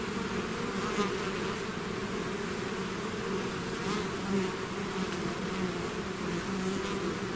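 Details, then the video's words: Honeybee swarm out of its hive, a dense steady drone with layered hums near 200 and 400 in pitch, many wingbeats overlapping continuously with no pauses, occasional brief louder individual bees passing close. "bees therapy swarm natural buzzing sound"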